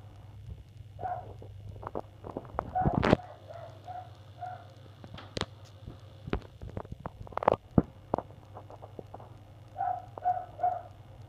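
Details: A neighbours' dog barks in the morning on 1 February, going on for an hour and waking the household. Muffled, distant barks come in short bursts of two or three, with sharp knocks and clicks nearby and a steady low hum underneath.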